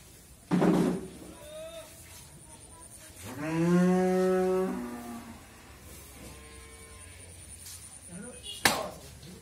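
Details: Friesian cow, a four-tooth heifer nine months pregnant with her first calf, raised on a dairy farm in Bhangura, Pabna, Bangladesh; a sharp knock, then a single long, low, steady moo lasting about two seconds, ending with a loud click.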